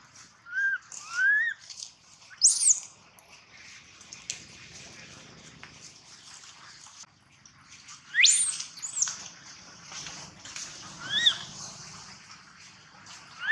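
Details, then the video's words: Gino, a young monkey, cries loudly: thin high squeals that climb steeply in pitch, coming in uneven clusters separated by several seconds of near quiet and faint background hiss. "Poor baby monkey Gino crying sound loudly a long time till Quiet"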